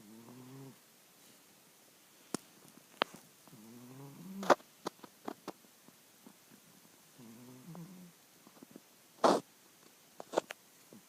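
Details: Mr. Jigilo, a pet cat also called Jiggy, snoring in his sleep; three buzzy, wavering harmonic snores spaced a few seconds apart, with sharp clicks and taps in between.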